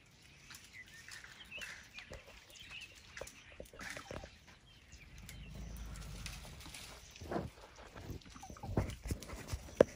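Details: Herd of elephants right outside a tent at night in Tarangire National Park, Tanzania, eating tree limbs; a deep, low purring rumble swells in the middle, mistaken for a big cat, with scattered birdsong, rustling and sharp clicks around it.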